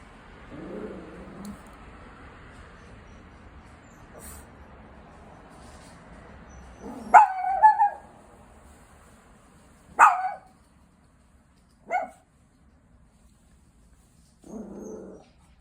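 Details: A Chihuahua threatening the person next to it gives a low rumbling growl, then after a pause sharp single barks spaced a few seconds apart, ending with another short growl.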